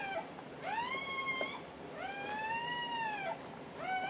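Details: A Dobermann female, in labour all day and giving birth indoors, gives drawn-out whining cries, each rising then gently falling and lasting about a second, three of them in four seconds against a quiet background.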